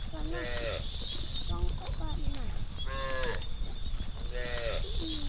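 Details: Hundreds of tame cows running together as a herd along interior roads through a village forest; four deep, drawn-out moos rise and fall at roughly one-second intervals over a steady hiss and rumble of movement.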